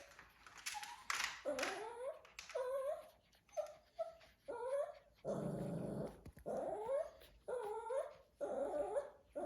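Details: Shih Tzu puppies with their father indoors at Thanksgiving, the adult whining in the background: high, wavering whimpers and squeals rising and falling in short bursts, some rougher growl-like sounds, in a small room.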